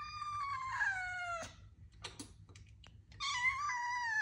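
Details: Young male British Shorthair kitten, blond, recorded indoors in November 2022 on an iPhone; a long whining meow that sags in pitch, then soft clicks and taps, then another sustained plaintive meow.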